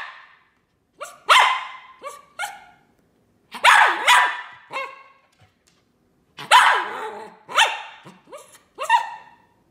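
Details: High-pitched poodle barks in three groups, each a loud bark followed by quicker, smaller yips, with brief silences between the groups.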